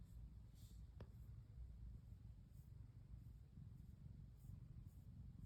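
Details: Female brown tabby cat Pon, curled up and melting under gentle stroking, purrs in a quiet, even rumble. A single sharp click comes early, and the low drone stays steady to the end.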